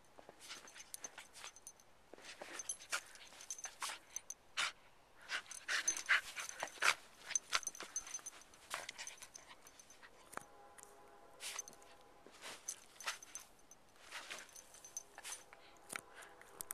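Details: Wire Fox Terrier Zazoo, rescue mascot at Wire Fox Terrier Rescue Midwest in Chicago, running and playing in the snow: quick breathy pants in uneven bursts, roughly eighty a minute, with a thin whining tone in the middle.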